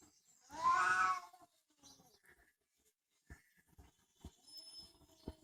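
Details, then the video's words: Single loud, harsh cat meow lasting under a second, followed by quiet with a few sharp taps and clicks. "Funny cats talking and yelling like humans"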